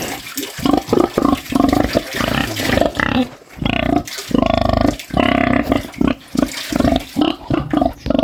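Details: Pig giving a run of short, rough, snorting grunts in quick bursts, some drawn out into longer rasping snores, with brief pauses between groups; steady and close, no other clear sounds.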